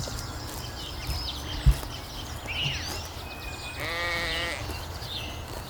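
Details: Sheep grazing leisurely on a spring meadow; a single short, wavering bleat with a shaky, trembling tone comes near the end, preceded by a few light bird chirps, one dull thump and a steady outdoor hiss.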